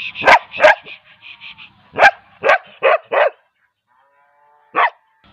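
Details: Barking bull terrier: a pair of loud, rough barks, a brief string of thin high squeaks, then a bark and a quick triple burst, silence, and a final single bark.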